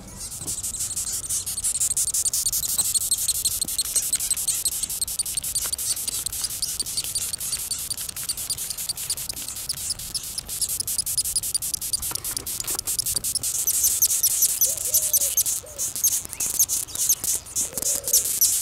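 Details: Angry death's-head hawkmoth, Acherontia atropos, squeaking: rapid trains of sharp, high-pitched squeaks and clicks repeated almost continuously, growing more intense toward the end.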